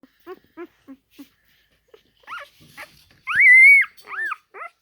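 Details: Four-day-old Alaskan husky puppy crawling around, giving short high squeaks followed by louder rising-and-falling whistly squeals and whines, each a few tenths of a second long, in a quiet setting.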